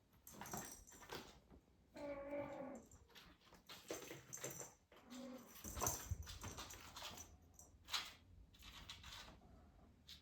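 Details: British Shorthair kittens, 43 days old (two golden males, a blue male and a golden female), indoors at their first photoshoot and playtime with crinkly paper and toys; one drawn-out harmonic mew near two seconds, a shorter one after, over rustling and toy clatter.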